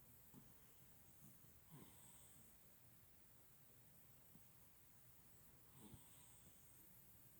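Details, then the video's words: Napping house cat snoring indoors in a small room: soft, raspy snorts and wheezy breaths come in quiet bursts every one and a half to four seconds, with low rumbling between them. "Cat snoring?"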